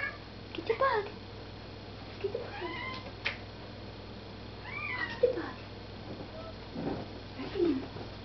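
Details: Pet cat indoors reacting to a moth by a light, giving short chirping, rising meow-like calls in scattered bursts a second or two apart, with people talking quietly about getting the bug.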